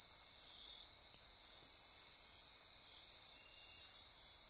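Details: After-dark insect chorus, Osa Peninsula rainforest near Corcovado National Park, Costa Rica, an unbroken high-pitched buzzing trill with a faint lower hum beneath.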